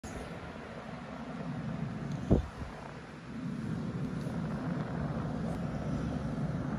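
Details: Low indoor rumble with a single sharp knock near the middle and no animal sound.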